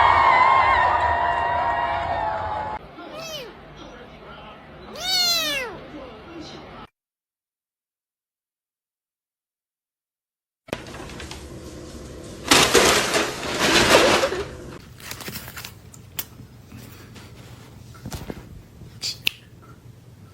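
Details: Pet cats in a 2024 funny cat compilation give a few short, arching meows early on over background voices. A long silent gap follows, then clattering and rustling room noise.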